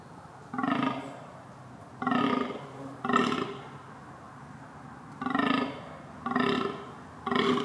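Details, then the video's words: Repeated red deer calls, six coarse, braying bleats of about half a second, falling into loose pairs roughly a second apart, each with layered buzzy overtones over a constant low hum. "deer calling"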